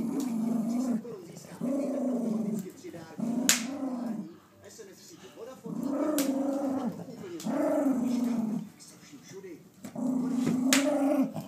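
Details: Four-year-old Jack Russell Terrier making drawn-out, moaning growl-like sounds, five bursts of about a second each separated by short pauses, with a few sharp clicks between them.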